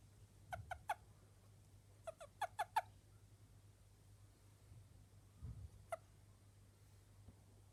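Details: Toad calling in short bursts of sweet, chirping notes likened to a small bird's, in clusters of two to five rapid pulses spaced a few seconds apart, with a steady low hum beneath.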